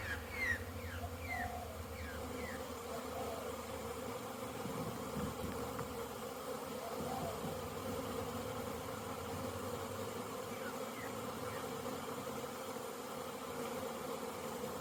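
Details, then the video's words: Crowds of honey bees making orientation flights outside a packed hive, 22/09/2022; a continuous layered buzzing drone holds throughout, with a few faint high chirps early on. "Orientation flights busy Bees"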